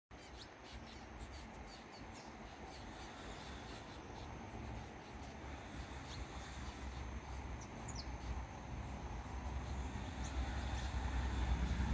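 Steady low rumble of wind or handling noise that grows louder toward the end, with no clear animal call.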